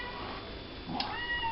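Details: Rescued kitten, saved in November 2013 from boys who were kicking it like a football, now warming on a hot water bottle and heating pad indoors; a short, faint, rising-then-level harmonic meow near the end, over low room hum.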